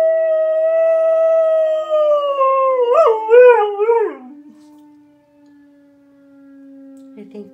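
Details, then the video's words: Pet dog howling at a tornado siren test: a long steady howl turns into quick wavering, yodel-like bends before fading, while a lower siren tone drones on underneath. "Dog Howls at Tornado Siren"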